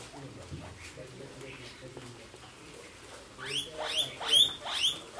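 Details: Guinea pig giving a burst of four sharp, upward-sweeping squeals in quick succession near the end. Quiet rustling and faint handling noise come before.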